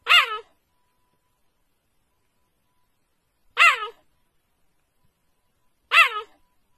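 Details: Cheetah making short hiccup-like calls: three brief, clean, harmonic-rich yelps, each falling then rising slightly, spaced about two to three seconds apart, with silence between and no other sounds.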